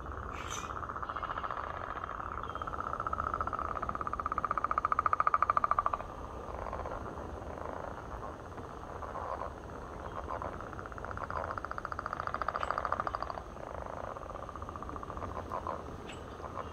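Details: A chorus of swamp frogs at Point Pelee National Park, Ontario, Canada, giving fast, pulsing, mid-pitched trills that swell and fade in waves.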